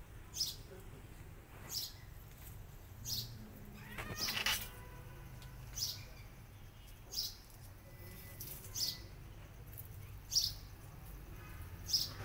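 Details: Mother cat nursing her kittens, striking at the kittens after they bite her while feeding; one short, harmonic, meow-like cry near the middle, with sharp high chirps or clicks recurring every second or two throughout.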